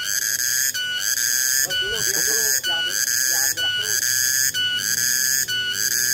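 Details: Cicada (tonggeret) calling on 21 August 2020: a piercing, pure-toned buzz pulsing regularly about once per second, continuous and loud, with faint low voices or sounds in the background.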